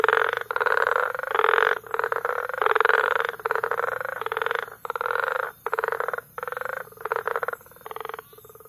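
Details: Tanzanian frog concert from Bagamoyo in May: bursts of harsh, finely pulsed croaking from a crowd of frogs, the bursts separated by short silences that grow more frequent toward the end, with a faint low hum beneath.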